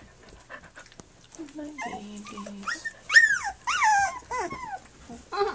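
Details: Flute's puppies at three weeks old, nursing and playing: a string of high, wavering whimpers and squeals, rising then sliding down, several overlapping yelps bunched in quick succession after a quieter low whine.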